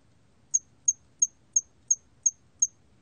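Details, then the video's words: Seven crisp, shrill pulses from a hairy cricket (털귀뚜라미), 2020 National Institute of Biological Resources recording, ticking at an even pace of about three per second against quiet background. "털귀뚜라미, 여러번 듣기, 곤충소리"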